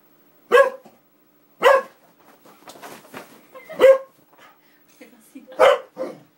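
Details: Springer Spaniel kept as a pet, worked up by an Xbox disc tray sliding in and out; loud abrupt barks roughly every second, separated by soft grumbles and whines, in a quiet room.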